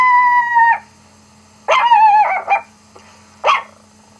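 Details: Rocky, a pet dog, reacting to another dog barking on a laptop: a long, steady high whine, then a wavering, sliding yelp run and a short sharp yip after a pause.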